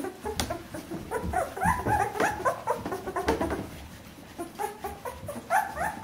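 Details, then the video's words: Fourteen-day-old Bernese Mountain Dog puppies whimper in a small indoor space, giving rapid high squeaky whines one after another over soft rustling. "Jeanies und Captains Welpen 14 Tage alt Bernese Mountain Dog Puppy"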